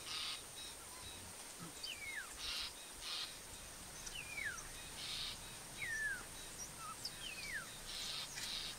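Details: A very large pack of African wild dogs near Skukuza Camp, Kruger National Park, in February, running and playing before a hunt, gives thin, high, falling whistled calls every second or two over a steady insect hum.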